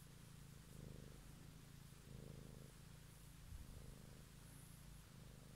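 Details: A close domestic cat purring, recorded in the evening: a low, continuous rumble with slow breath-timed surges about once a second, and a soft bump near the end.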